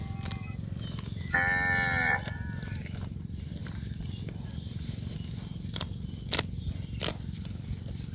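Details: Cow in a green grass field giving a single short, strained moo lasting under a second, with a stack of clear harmonics, over steady low rumbling background noise and a few faint clicks.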